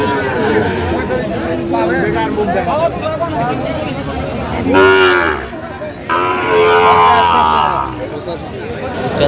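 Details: Sahiwal bull at a busy cattle market, 3 January 2025, giving two loud, drawn-out harmonic moos midway through, over constant crowd chatter and bargaining voices.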